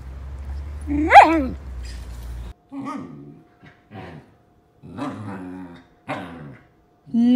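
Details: Female pet Samoyed vocalizing and talking back at home: a loud rising howl-like whine with bright harmonics, then a series of shorter moaning, talk-like sounds separated by pauses, with background music at the start.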